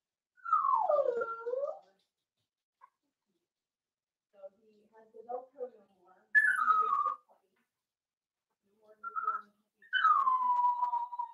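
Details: Daisy's Cavalier King Charles Spaniel puppies, four weeks old, whining in their pen: long, high, whistled whines that fall in pitch, three drawn-out cries separated by softer fussing sounds.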